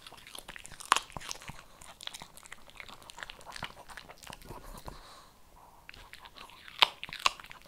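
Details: Kibble crunched by a Shih Tzu, with bright crackling bites in quick bursts, a brief quieter pause midway, then two loud snaps near the end.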